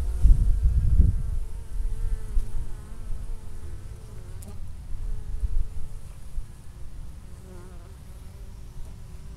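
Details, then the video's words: Honey bees returning with orange pollen on their hind legs to a Minnesota hive in November, storing supplies for winter; a busy, humming swarm-drone with wavering tones, a burst of loud low rumble at the start. "Bees getting ready for winter - storing pollen"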